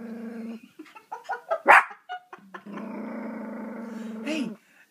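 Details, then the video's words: Young Yorkshire Terrier, six months old, growling at a dog image frozen on the television in a small room: a long low humming growl, a burst of quick yips rising to one sharp bark, then another sustained growl ending in a rising whine. "Yorkie Barking at Television"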